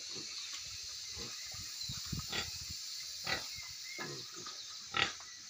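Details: Farm pigs in Manipur grunting in short, scattered low bursts, with a few louder squeal-like blips standing out above a continuous hissing background.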